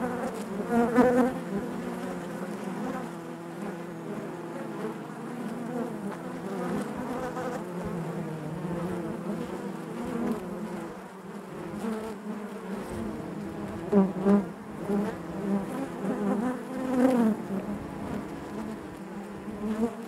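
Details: Honey bees humming within the hive, a thick steady drone of many wings; close individual buzzes rise in pitch at the start and again toward the end, with faint tapping between.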